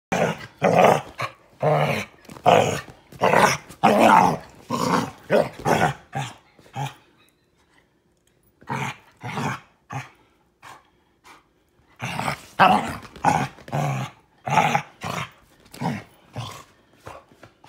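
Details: Female Basset Hound growling while play-attacking her owner: rough, grumbling growl bursts repeated roughly once a second, broken by a silent pause of several seconds, then another run of growls.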